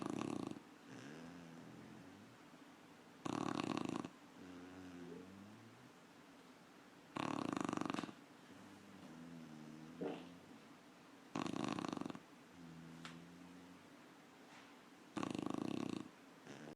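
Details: Sleeping puppy snoring in a small room: loud, rasping, broadband inhalation snores recur roughly every four seconds, while softer whistling, wavering exhalation tones fill the gaps between them.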